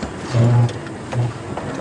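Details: A hyena, seen up close on a sunset safari drive on December 10, gives two deep, droning hoots, the first long and the second brief.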